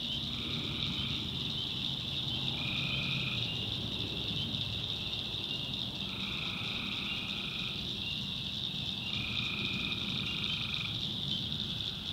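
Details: In a North Carolina backwoods swamp at night, tree frogs give long monotone notes in a steady series of about five bouts, set against a continuous shrill chorus and low background rumble.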